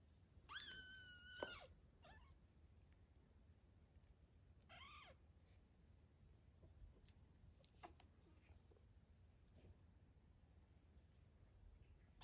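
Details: Three-week-old foster kittens learning to play indoors; two high, harmonic-rich kitten meows, the first a drawn-out cry of about a second, the second shorter a few seconds later, then quiet scuffling, soft taps and clicks from play.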